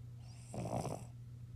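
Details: A Cavalier King Charles Spaniel gives one short, wet, half-second snort over a steady low electrical hum.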